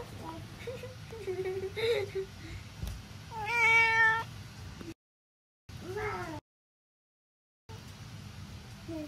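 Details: Norwegian Forest Cat meowing cutely while hugging: several bright, bending meows, one long drawn-out wail in the middle, broken by brief silent gaps, over low room hum.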